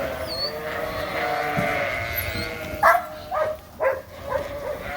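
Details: Suffolk lambs in a barn where separate groups got mixed together: a murmur of distant bleating gives way to several short, sharp nearby bleats in quick succession, roughly every half second.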